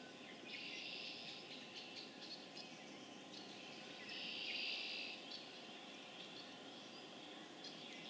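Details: Massed spring peeper chorus, Harvard, Massachusetts, April 27, 2011: continuous shrill peeping forms a high band, swelling into loud bursts early and midway before easing back to a steady background din.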